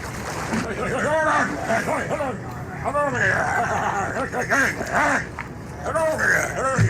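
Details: A harbor seal that grew up with New England fishermen and copied their voices mimics human speech: gruff, low, drawn-out vowel-like phrases rising and falling like a man talking slowly, over a faint background hum.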